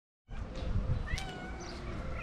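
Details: Mashinka, a talkative and affectionate pet cat, talks to her owner with a short rising meow after a moment of silence, over low background rumble.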